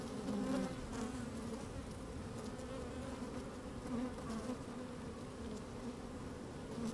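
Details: Honey bees working inside an opened hive on a fine, sunny day, microphone slid down among them: a steady low droning hum with harmonic bands, brief louder buzzes swelling now and then, light wind in the background.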